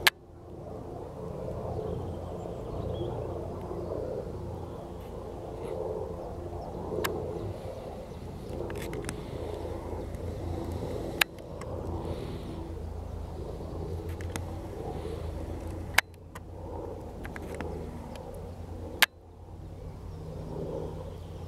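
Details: Common toads (Bufo bufo) call in a steady, low, mottled chorus of soft trilling croaks with occasional sharp clicks, at an oxbow lake by the Vistula River, Poland, 13 April 2022.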